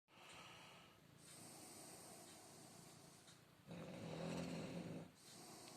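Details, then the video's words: A Shar Pei called Filya, a good boy, snores while sleeping through his nap indoors. The breaths are raspy and rhythmic, with a louder, rumbling snore swelling near the end. "Шарпей храпит."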